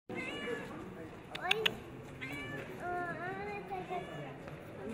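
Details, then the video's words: Yellow-eyed cat looking around and meowing: drawn-out, arching meows, two of them close together near the middle, over a low murmur of people talking and a few sharp clicks. "A CAT WITH YELLOW EYES LOOKS AROUND AND MEOWS"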